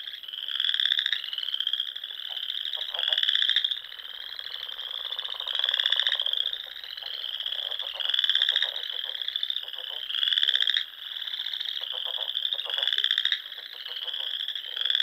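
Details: Spring frog chorus from the Nebraska Sandhills at dusk, near small lakes and ponds where waterfowl roost: continuous high trilling with louder pulsed bursts rising out of it roughly every two to three seconds.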